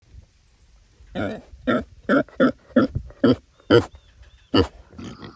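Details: Domestic pig at an animal sanctuary, vocalizing to communicate with other pigs and people: a run of eight short, husky grunts spaced roughly half a second apart, each a broad gruff burst, with quiet background between them.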